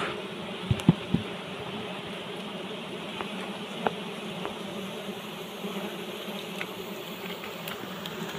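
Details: Wild honey bees buzz around a large, well-hidden nest built beneath leaves during a forest honey harvest; a steady low droning hum with layered tones, a few sharp knocks near the start, continuous throughout.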